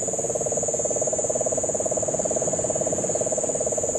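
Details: Puerto Rican crested toad calling during the September 2007 rains in Guánica Dry Forest, Puerto Rico: a steady, rapid, low pulsed trill running the whole time, with a constant high insect whine above and cane toads also present.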